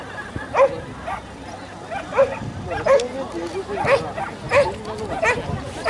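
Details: Sharp single barks from Bleau the Standard Poodle at the JKC Agility Games, 14 March 2015, come roughly every second at irregular spacing, set against constant crowd noise and chatter.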